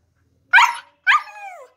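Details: Siberian husky yelping: two short harsh bursts half a second apart, the second trailing into a falling whine.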